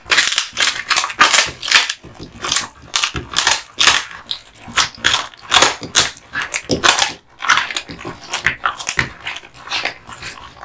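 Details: Male American Bully (Pit Bull) dog, born 2016, eating duck spine jerky: loud, sharp crunching bites repeated every fraction of a second in bursts, with brief pauses between bouts of chewing.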